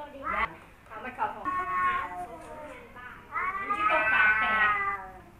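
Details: Rival male cats Kaopat and Ronja trading threat yowls: a few choppy, broken wails, then a long rising, tense howl that holds loud and wavering before trailing off.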